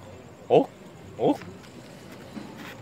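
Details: A Galapagos sea lion (Zalophus wollebaeki) among sea lions sleeping at night on San Cristobal Island, Galapagos, gives two short, hoarse grunting calls about a second apart.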